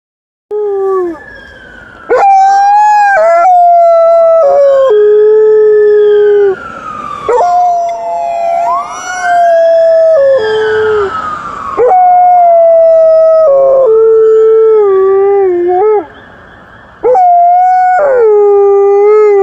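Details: Liza, an Alaskan Malamute, howls at a passing ambulance and then a police car. Long, wavering howls rise and fall in repeated bouts, interrupted by brief breaks, while a siren sweeps up and down beneath them mid-way.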